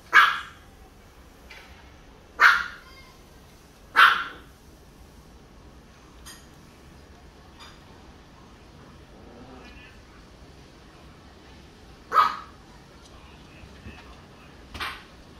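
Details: Oreo, a female pet Chihuahua tucked into a corner by the curtains, gives sharp high yaps at irregular intervals, about five loud barks with quieter ones between, separated by gaps of one to eight seconds, over faint room background.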